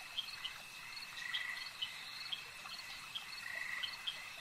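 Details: Frogs at a lake: short, bright click-like calls repeat about every half second, with a few softer buzzy croaks between them, over a steady high insect-like hum.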